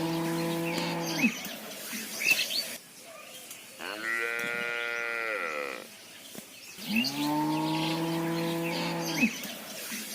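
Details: A mother cow moos for her calf: three long, steady, harmonic lows with a higher, wavering moo in the middle.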